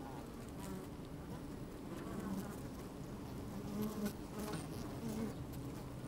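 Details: Honey bees working in an open hive, recorded with the microphone down among them on a sunny day: thick low droning hum, short higher buzzes flaring now and then, soft crackles of movement throughout.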